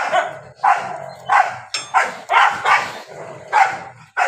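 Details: Dogs barking and fighting during the rainy season: a rapid series of loud, harsh barks, about seven in four seconds, each a short noisy burst with a brief gap before the next.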